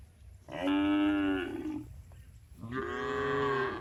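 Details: Two long, steady moos from tame cows being herded home to the barn one afternoon on a village farm; each call lasts about a second, even-pitched and strongly harmonic, with a short quiet gap between them.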